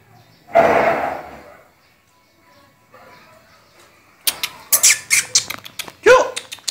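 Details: Play session between a two-year-old dachshund and a two-month-old shih tzu; one loud drawn-out vocal burst early, a lull, then a rapid string of short, sharp barks and yaps.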